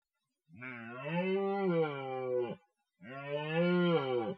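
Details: Red deer stag roaring in a forest during the rut: two long, deep, harmonic bellows of about two seconds each, rising slightly then holding steady before breaking off, separated by a brief pause; no other sounds.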